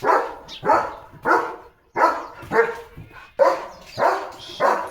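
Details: Pet German Shepherd Leo barking repeatedly in a garden, loud harsh woofs coming about every half second in an uneven run, with one brief gap midway.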